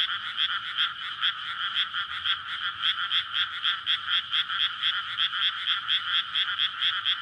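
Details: Many frogs calling together on a May night in a freshly flooded rice field before planting, a courtship chorus; fast, rattling croaks repeated about twice a second in a continuous wall of sound. Recorded with a Sony PCM-D100.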